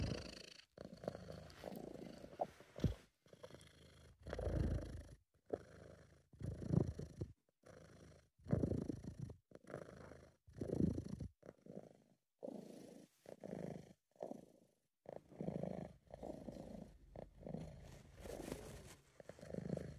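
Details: Purring of Sabu, a British Shorthair, a sound made when relaxed and happy; steady low throaty rumble pulsing with each breath, roughly every second or less, brief pauses between, quiet indoor setting.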